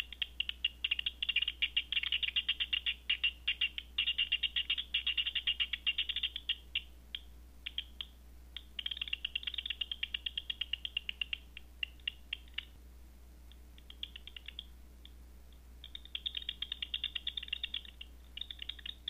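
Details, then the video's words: At night a Batseeker 4 detector renders bat echolocation as dense, rattling bursts of rapid clicks, several long volleys separated by brief quieter gaps with sparser ticking. "Batseeker 4 picking up Night Bat Sounds"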